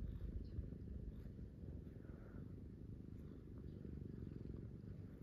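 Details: Pet cats resting on and beside a person in bed at morning while one is stroked; a dense, low, continuous purr hums throughout, slightly louder at the start, with light fabric rustling.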